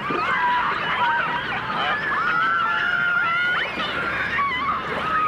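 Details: Dolphins and orcas recorded in 1989 in full dimensional stereo: long sustained wavering whistles, several overlapping at once, slide gently up and down, with a sharp upward sweep midway and a crackling underwater background.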